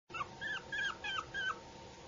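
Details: A Yorkshire Terrier puppy makes four quick, high whimpering yips that rise and then drop, evenly spaced over about a second and a half, against a steady low hum.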